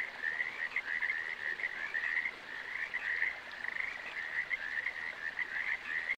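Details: Steady frog chorus of quick rattling croaks, many calls running together in a continuous band at one mid-high pitch with small surges of loudness throughout.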